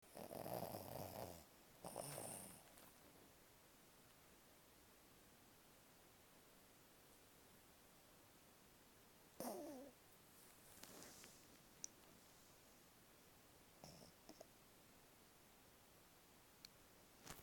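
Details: Pet dog in a deep sleep on a bed, snoring and twitching: a few short raspy snore bursts near the start and again around ten seconds, separated by long quiet stretches in a small room.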